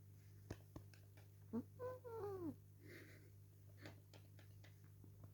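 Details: Dale, a pet cat who dislikes being held, yells indoors while held and kissed: a quick run of wavering, harmonic meows, the last sliding downward, over a steady low hum and scattered clicks.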